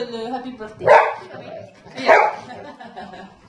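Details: A Golden Retriever "sings" along to his birthday song, giving two short, bark-like howls about a second apart while people sing.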